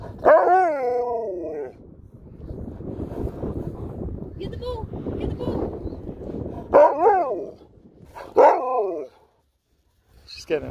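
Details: Sherpa, an Alaskan Malamute, reacting as the family's daughter is taken home: loud wavering, yodel-like howling calls with rising and falling pitch, three bursts across the recording, with people talking in between.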